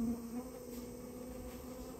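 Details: Steady, even-pitched hum from Japanese honey bees whose storehouse nest is being cleared, with two clear tonal layers and a slightly louder start.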